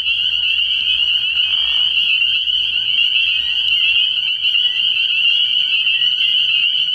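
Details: Nighttime chorus of many spring peepers at a frog pond in early spring, a constant wall of high piping notes, layered and unbroken for the whole stretch, with a faint low rumble underneath.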